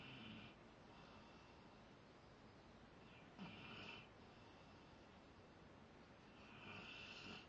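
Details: Sleeping Rottweiler named Zakk snoring steadily: raspy, airy breaths with a faint whistle, recurring roughly every three to four seconds over a low background hiss.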